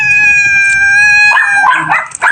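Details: Pet domestic cats said to be fighting; a long, steady, high tonal wail held for over a second breaks into rougher, noisier yowling and scuffling sounds.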